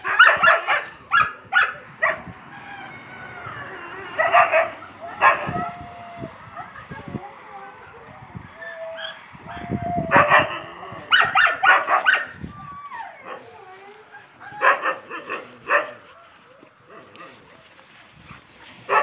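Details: Yakutian Laika pups beside their mother Rumba: bursts of high yipping and thin whimpers come in clusters, with quieter gaps, drawn-out whines and faint rustling between them.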